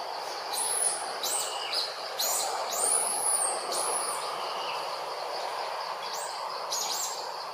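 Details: Jazzy, a monkey, crying loudly because another monkey, Jane, does not come to help: a run of high, thin, arching squeals, each rising then falling, repeated several times over seven seconds above a steady background hiss.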